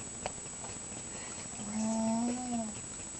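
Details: A sleeping mouse named Scharlett lets out a single drawn-out, low, whistly snore with a faint higher overtone, lasting about a second. A small click comes before it, against a quiet background.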